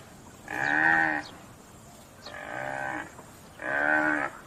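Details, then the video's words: Buffalo on a farm lowing three times, each call a tonal, slightly rising-then-falling moo of under a second, spaced about a second and a half apart, with faint bird chirps in the background. "Buffalo Sounds"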